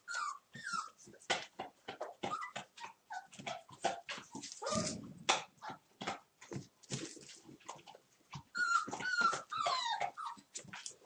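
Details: A one-month-old Torfheide 'B' litter at play on 19 December: rapid rhythmic yelps and falling whimpers, about two per second, with a low growly grumble midway and a cluster of shrill squeals near the end.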